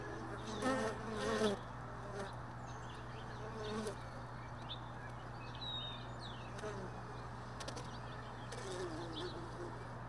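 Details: Honey bees lingering around hive boxes left all day in a truck bed, heard early morning: buzzy, droning bursts of wingbeats, strongest near the first second and again briefly later, over a steady low hum with faint bird chirps behind.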